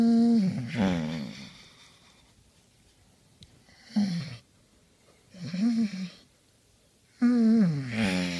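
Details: Basset Hound named Henry making pleasure noises while being scratched on just the right spot, indoors: drawn-out moaning groans with a wavering, harmonic tone, three main bursts separated by quiet breathing pauses.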